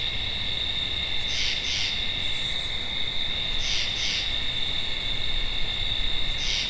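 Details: Tree frog giving paired rasping bursts, two notes in quick succession, repeated about every two seconds over a steady high insect drone and a continuous lower hum of night chorus.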